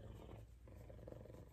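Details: Purring F2 Savannah cat, one of two pet cats giving lots of loving while stroked; a continuous deep, buzzing rumble with a slight rise in the middle and no other clear sounds.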